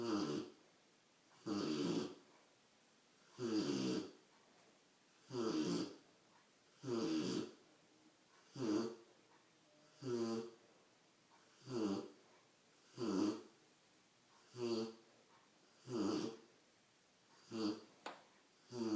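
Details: A sleeping big Rottweiler puppy snores loudly in a steady rhythm, each rough rasping breath coming about every second and a half.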